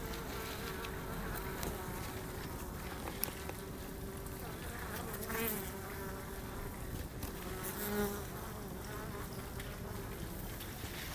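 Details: Wild honey bee colony living in a tree: a steady, low droning hum of many bees, continuous throughout, with faint rustling in the background.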